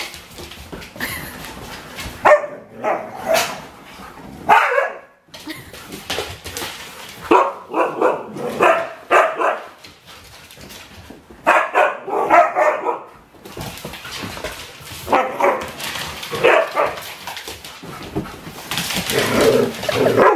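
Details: Four-year-old rescued husky mix crossbreed, newly moved into a home, barking indoors in repeated bursts of short, harsh barks and yips separated by brief pauses.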